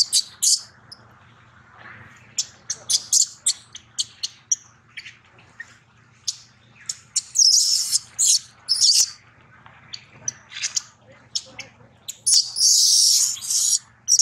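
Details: Hurt infant monkey Daniela screaming during an attack by Queen Dolley as Dana tries to recover her baby; rapid, irregular, piercing high squeals, with several longer, louder shrieking stretches around the middle and near the end.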